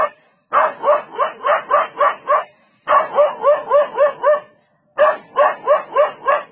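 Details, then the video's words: Dog chasing a leopard that came to attack it, barking in three fast bursts of about seven barks each, roughly four barks a second, with short silences between bursts. "Dog Barks And Chases Off Leopard That Come To Attack Him"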